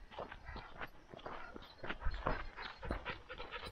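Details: Standard poodle from a family of four poodle sisters in Ketchum, Idaho, near Sun Valley; quick breathy panting bursts repeat unevenly over a rustling, low rumbling background.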